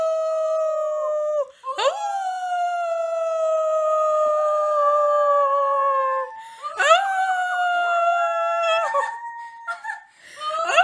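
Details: Siberian Husky singing: long, steady howls full of harmonics. They break off with sharp rising yelps near two and seven seconds, then resume, with overlapping voices gliding slightly downward.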